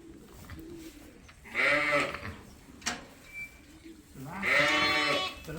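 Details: A ewe that has just lambed and looks a little nervous talks to her newborn lamb as she walks out of the lambing area: two quavering, harmonic bleats about three seconds apart, with soft rustling and a short click between them.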